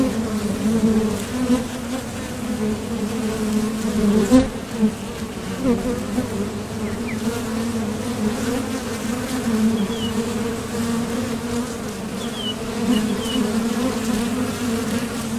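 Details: Steady low humming of a crowd of honeybees coming and going at a Top Bar Hive entrance on nectar-gathering flights. The drone stays even throughout, with one brief louder pass near the middle and faint high chirps behind it.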